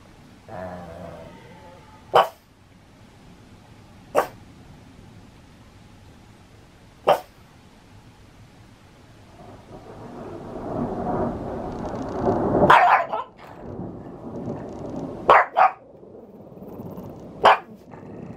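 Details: Pet Pug barking at thunder in Saitama, Japan, 6 May 2020: lone sharp barks spaced two to three seconds apart, a low rumbling swell building midway, then quicker barks during and after the rumble.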